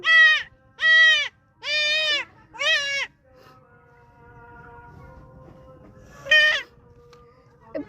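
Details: Goat giving four quick, wavering bleats at roughly one-second intervals, then a low steady hum before one more sharp bleat near the end.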